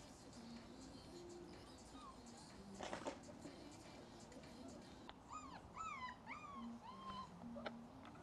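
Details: Šarplaninac puppies, five weeks old, exploring outside their kennel for the first time: after quiet steady low tones, a run of about five sharp, rising-then-falling whimpers clusters in the last three seconds.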